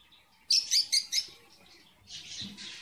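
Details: Caged red avadavat (strawberry finch) pair building a nest on 24 February 2017, the male not yet in red plumage: four quick, bright, high chirps in a row, then a softer hissy rustle.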